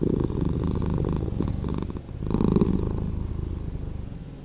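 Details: Domestic cat purring, slowed down: a deep, continuous rumbling throb with a brief dip in loudness near the middle before the steady rumble swells again.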